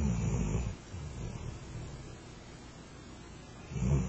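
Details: Flat-coated Retriever named Rento, a pet dog asleep under a kotatsu, snoring: low rumbling breaths at the start and end with a quiet pause between.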